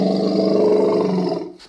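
A low, gravelly roar from an angry elephant holds steady for over a second, thick with rumbling overtones. It tapers off, and a sudden loud burst follows at the very end.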